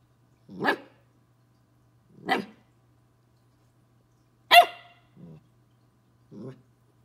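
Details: Twelve-week-old Corgi puppy confronting a bug gives five short barks at irregular gaps of one to two seconds; the third is the loudest and brightest, and the last two are quieter and lower. A faint low hum runs underneath.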